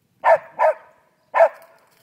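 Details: A pet dog barks while chasing birds: two quick sharp barks in close succession, a short pause, then a third, each bark punchy and mid-pitched against an otherwise quiet background.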